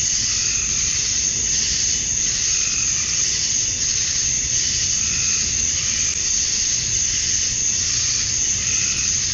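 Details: Male cicadas calling for females in the summer dusk of Georgia, USA: a constant, intense high-frequency drone with faint lower pulses surfacing now and then underneath.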